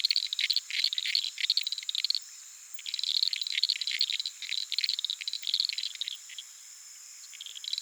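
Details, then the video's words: Uruguay harlequin frogs (Lysapsus limellum) call at night from a small puddle in the flooded Pantanal savannah, giving bursts of rapid, dry clicks over a steady high insect hum. "Frog sounds"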